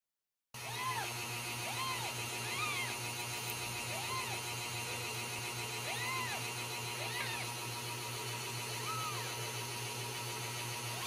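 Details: Ragdoll kittens raised indoors without cages at a cattery in central Kansas, giving a series of short arched high mews, several per second at times, over a constant low electrical hum.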